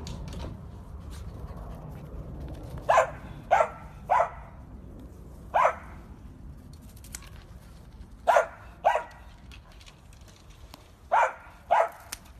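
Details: Dachshund, a sausage dog kept as a pet, barking in short sharp bursts: pairs and triplets of barks spaced over twelve seconds, with a low steady background hum between them.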